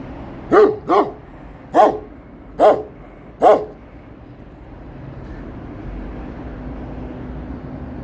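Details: Kangal barking at someone approaching its area; five deep barks in a loose run, the first two close together, then the rest about a second apart, followed by several seconds of quiet outdoor hum.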